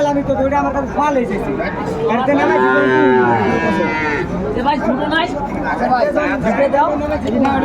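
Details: Bull calves for sale at a Comilla cattle market in Bangladesh, 6 January 2025: a long arching bellow lasting nearly two seconds, surrounded by loud overlapping talk of buyers and sellers.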